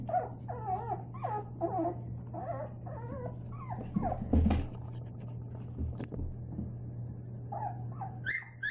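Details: Playing Labrador Retriever puppies, white-coated, give a run of short wavering whimpers and yips, then quieter whines with thumps and handling noises, over a constant low electrical hum.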